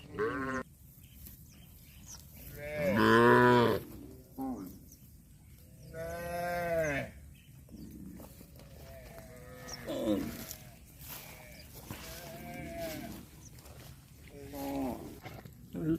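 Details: Cows moo repeatedly: a loud drawn-out moo near the start, then another, followed by several shorter, softer moos spaced a few seconds apart, with faint background rustling.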